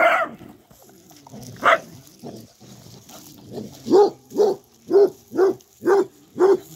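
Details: Rosie, a female basset hound, digging up a freshly filled hole: a few scattered sounds early on, then six deep, hoarse barks from about four seconds, evenly spaced roughly half a second apart.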